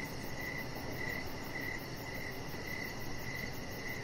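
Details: Evening cricket chorus heard from a deck with decoration lights on and a Chihuahua puppy lying nearby. Clear, regular chirps at one steady pitch recur roughly every half second over a soft, steady low rumble.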